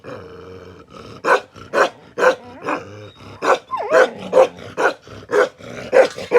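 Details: Bakarwal dog, an aggressive protection dog, gives gruff barks mixed with a low rumbling growl at the start and a brief rising-then-falling whine among the barks.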